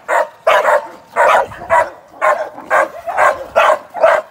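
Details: Young American Staffordshire Terrier, a working sporting dog in training before ADBA shows and sporting events, barks sharply about nine times in four seconds. The barks are loud and come in an uneven rhythm with short gaps.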